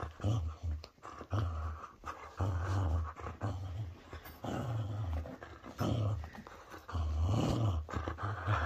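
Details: Whippet playing tug of war, growling low and gruffly in repeated rumbling bursts of about half a second to a second each, nearly continuous across the stretch, with faint tugging and rustling noises.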